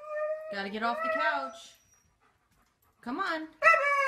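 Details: Siberian Husky, a pet dog, making its funny 'talking' vocalizations: wavering, harmonic howl-like phrases that rise and bend. A roughly one-second gap, then a fresh burst of expressive yowling.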